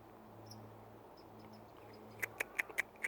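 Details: Squirrel. After a near-silent opening with a faint low hum, a baby squirrel lets out five short, sharp squeaks. They come in a fast, even series about a fifth of a second apart.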